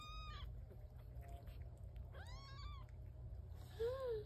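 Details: Newborn domestic kittens crying indoors: three separate thin, high meows, each arching up and down, spaced a second or more apart, the last one lower and louder, over a constant low hum.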